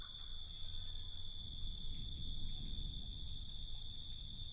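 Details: Nighttime crickets give a continuous, bright, buzzing trill that stays level from start to finish, over a gentle low-frequency rumble.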